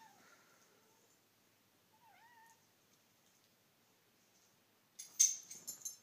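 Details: Xander, a Japanese Bobtail kitten, plays with a dog indoors, attacking her head and nipping at her feet. Soft, brief meows early on, one dipping then rising, followed by a loud burst of scuffling and rustling near the end.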